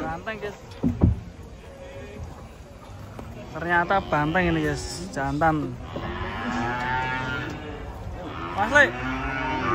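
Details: Huge cattle unloaded from a truck in the morning give a series of deep, harmonic moos, several short bellows rising and dropping in pitch, then a drawn-out lowing call, over a low background hum.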